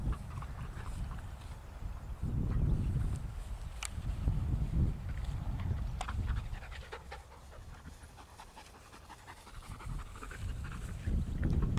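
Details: Rapid dog panting on a walk with Ramsey, a shy new Patterdale/Lakeland cross, meeting regular companions Ellie, Holly and Markus on his first outing. The breaths come at nearly four per second, set over heavy low rumbling and outdoor noise.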